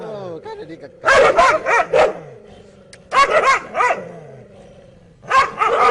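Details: Dogs barking in three loud clusters of sharp, rough barks, the first preceded by a thin, wavering whine-like tone; a steady background hum fills the gaps between bursts.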